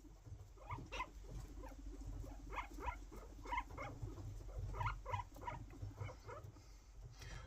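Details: Pet guinea pig chattering at its owner indoors: clusters of quick, clicky chattering bursts come in runs of several per second with pauses between, over a steady low rumbling purr.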